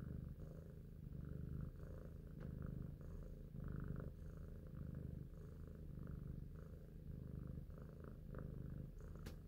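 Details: Indoor purr of the cat Big Shoes, called cute and intelligent, while thinking; a soft, steady low vibration with gentle breath-timed surges, slightly uneven rhythm, a faint click near the close.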